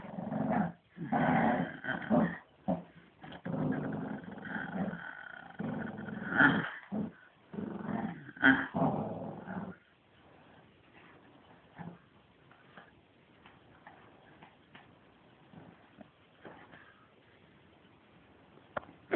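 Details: Shih Tzu at playtime growling: low, rumbling, drawn-out growls come in bursts over the first ten seconds, with brief pauses between them, then the room falls mostly quiet.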